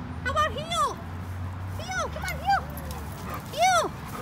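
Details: German Shorthaired Pointer during obedience training: a series of high, arching whines, each rising then falling, in bursts about a second apart, over a low steady hum.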